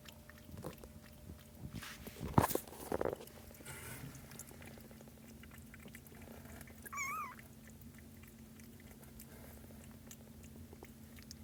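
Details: Kittens from a sleepy little pile, indoors on 13 March 2017: one short, high, wavering meow late in the clip, preceded by loud thumps and rustling from handling, over a steady low hum.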